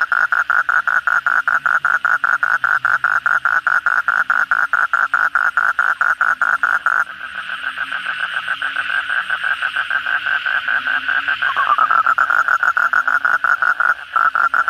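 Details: After heavy rain at night, an Asian common toad delivers a fast rattling trill of croaks, pauses while a softer chorus of many frogs continues, then resumes its rapid pulsing.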